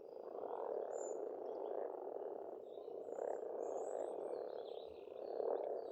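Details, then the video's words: Many frogs croaking together at a pond in Estonia in spring, a dense continuous rasping chorus that swells and fades in soft pulses, with thin high whistles of songbirds drifting above. "Расслабляющее пение птиц и лягушек, весна, природа."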